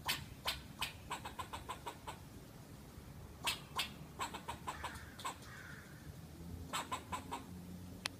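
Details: Squirrel. A squirrel calls with rapid, dry chucks and barks, delivered in uneven bursts of several notes. Short silences separate the runs, and a faint, softer sound comes in partway through.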